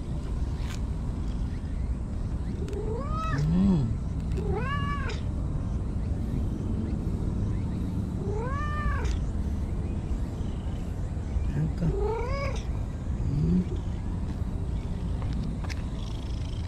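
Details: Brown-and-white stray cat hopping happily along behind someone to its usual bench, giving its trilling 'nyaruru' meow: five arched meows that rise and fall, spread over sixteen seconds, with a steady low background rumble throughout.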